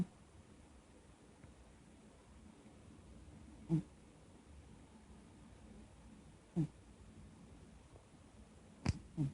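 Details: Maxx, a dog, snoring in a quiet indoor room: brief low rumbling snores recur roughly every three seconds, with faint steady background hiss between breaths.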